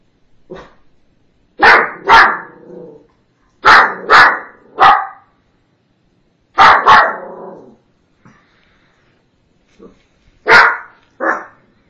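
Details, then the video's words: A Shih Tzu puppy barks aggressively at noises outside in sharp, high bursts of two or three, pausing between each volley. "Barking Shih tzu"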